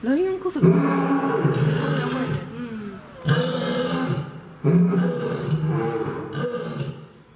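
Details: Zoo-kept male lion in Fukuoka, Japan, September 2021, delivering three powerful, low, rumbling roars in quick succession, each lasting one to two seconds and fading into a softer tail, recorded close up.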